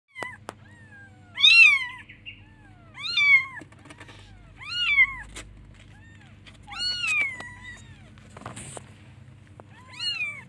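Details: A baby kitten looking for its mother calls her with high, thin meows, each rising then falling, repeated about every two seconds.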